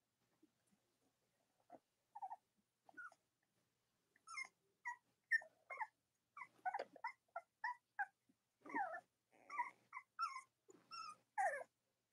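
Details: Cavalier King Charles Spaniel puppies of Robin and Myra's litters, indoors on a chilly late-October morning: short high whimpers and squeaks, bursts rising and falling, coming faster and overlapping after the first few seconds.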